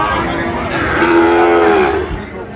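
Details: Sahiwal bull calf at a cattle market, recorded 22 September 2025 while a farmer from Dhaka buys calves: a single steady, tonal moo lasting about one second, rich in harmonics, over a constant murmur of market crowd and voices.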